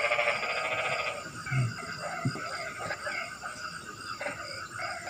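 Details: Frog calling on a rainy night opens with a quick pulsed rattle about a second long, then fades into scattered faint clicks and steady hiss.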